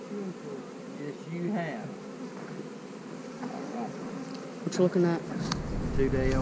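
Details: Honey bees humming as hives are split, queen cell in the splits: a continuous low, wavering wing drone carries through, broken by short bits of human speech and a few clicks near the end.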